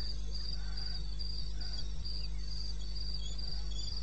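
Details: Cricket calling at night in the wilderness of eastern Botswana, recorded 21 May 2016 at 02:30; steady high chirps repeated about every half second over a constant low hum.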